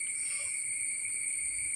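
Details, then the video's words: Crickets calling loudly and constantly around a house in the evening, thought to be more numerous because of the rain, make a steady, unbroken high-pitched trill that holds one even tone throughout. "ഇവിടെ ഭയങ്കര ചീവീടിൻ്റെ ശബ്ദം കേട്ടോ."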